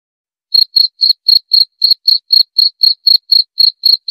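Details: After half a second of silence a cricket starts chirping, high, crisp pulses about four each second, presented as a calming insomnia aid and rat repellent.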